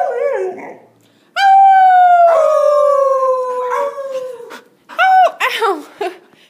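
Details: A 5-month-old male Golden Retriever puppy, learning to howl and howling only when his owners howl with him, gives a long, tonal howl that slowly slides downward, followed by short yips.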